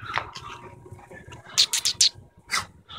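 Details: Wirehaired fox terrier mix puppy giving a quick run of short, high yips and whimpers in the middle, then one more yelp, with a woman's cooing voice before and after.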